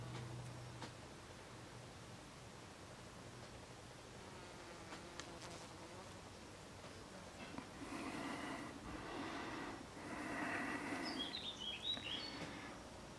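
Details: Common wasp (Vespula vulgaris) observed in nature, giving two loud buzzing bursts of a few seconds each, low and droning with rich overtones, over faint background noise, with brief high bird chirps near the end.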